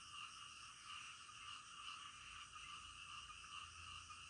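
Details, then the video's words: Frogs calling in the middle of the night: a dense, unbroken chorus of overlapping high trilling tones, steady in loudness, with pulses merging into a continuous shimmering drone and no other clear sounds. "SUARA KODOK DITENGAH MALAM"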